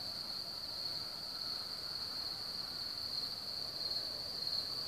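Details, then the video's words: Crickets singing around Hamr near Chlum u Třeboně, home to one of the largest cricket populations in Bohemia: a steady, high, ringing trill that never pauses, with a faint low rumble beneath. "Cvrčci v Hamru"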